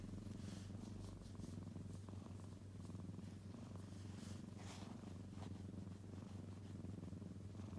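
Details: A kitten purrs without pause, a low throbbing drone held steady, with light scratchy rustling noises scattered on top.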